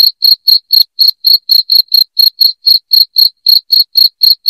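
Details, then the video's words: Strident cricket chirping meant to drive away rats indoors: steady, bright pulses about four per second, each chirp short and high, with a clean, quiet background. "SUARA JANGKRIK NYARING PENGUSIR TIKUS"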